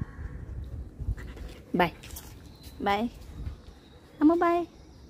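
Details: Dog, possibly a puppy, giving three drawn-out tonal whines at roughly one-second intervals, each rising then falling with clear harmonics, the last one longer and wavering, over a quiet indoor background with low rumble.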